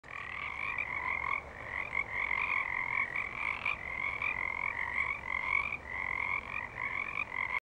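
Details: A dense chorus of Pacific treefrogs at Baikie Island Nature Preserve, two weeks into February: countless raspy, two-note ribbits overlap into a steady, pulsing wall of sound with no pause.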